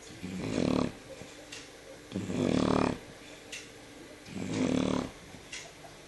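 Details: Evening of 13 November 2014, the Shar Pei Jyo sleeps and snores loudly; three strong, throaty rattling inhalations arrive roughly every two seconds, close and clear against a calm indoor background.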